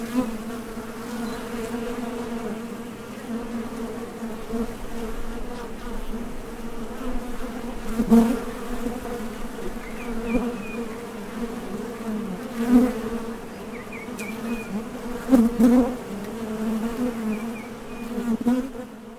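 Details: Foraging honey bees landing at and leaving the entrance of a Top Bar Hive, a constant low droning buzz with several brief louder passes, and faint high chirps from a distant bird in the background.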